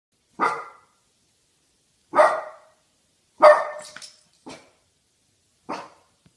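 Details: A 9-month-old Boston Terrier on guard gives sharp, single barks spaced a second or two apart.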